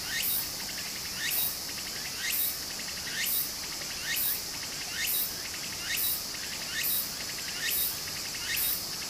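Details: Summer cicada chorus by a Japanese stream, a constant shrill drone overlaid by strong buzzy bursts repeating roughly once a second, each sweeping upward; gentle running water murmurs underneath.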